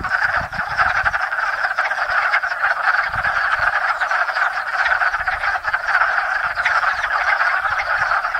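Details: At a small pond in Enosburgh, hundreds of wood frogs gather each spring to mate, the year's first frog chorus; rapid overlapping croaks form a steady, grating quack-like roar across the whole stretch.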